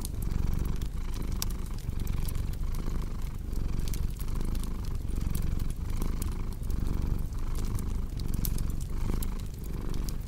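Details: ['Steady low purr from a cat, pulsing in slow breath cycles about every 0.7 seconds, mixed with frequent crisp crackles and pops from a cozy fireplace.']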